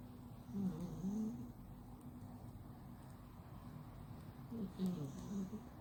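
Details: Sleeping flat-faced male cat snores hard: a low, buzzing, grumbling breath near the start and another near the end, separated by quiet breathing in a still indoor setting.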